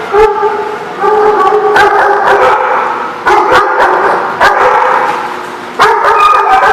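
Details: Multiple dogs at a kennel, recorded 28 April 2014, barking in overlapping bursts; loud, rough, repeated barks about once a second with short pauses between volleys.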